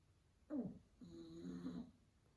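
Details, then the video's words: Sleeping pug in a quiet room, two snores in quick succession: a short snort, then a longer, vibrating, wheezy snore. "Cute Dog Sleeping & Snoring"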